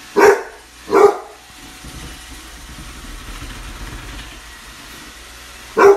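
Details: Basset Hound puppy barking at a Roomba: two short sharp barks near the start, a long gap with a low steady machine hum, then a third bark at the very end.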